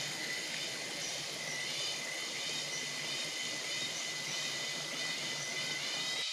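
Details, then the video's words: Cicadas on a morning in the jungle of Palawan, Philippines, fill the air with a dense, steady, high-pitched buzzing drone that never lets up. "Cicada morning Sound in the Jungle of Palawan, Philippines."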